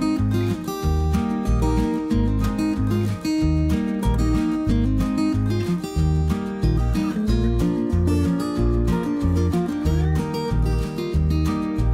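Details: Strummed acoustic guitar music with a steady beat throughout, and no animal sound.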